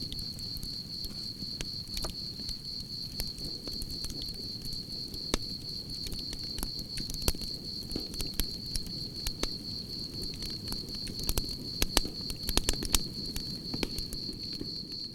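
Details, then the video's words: Crickets trill steadily at a single high pitch across the whole passage, joined by a crackling campfire whose sharp snaps cluster thickly toward the end over a low, rushing flame noise. "Soothing Cricket Sounds"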